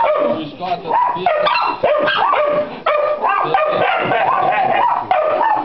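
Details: Cross of Pit Bull and Yorkshire Terrier yapping rapidly, sharp tonal barks and drawn-out yelping whines following each other closely, a human voice audible between bursts.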